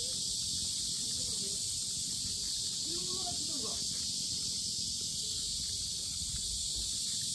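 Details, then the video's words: Very loud cicadas buzzing at the Sinjeongho lotus grounds in Asan, Korea, a continuous high-pitched hiss-like drone, with brief faint human voices in the middle. "매미소리 주의"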